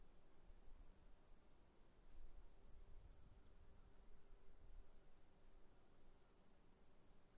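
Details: Several crickets singing at once, a continuous high-pitched trill layered with evenly spaced pulsed chirps, with faint low-frequency rumble beneath.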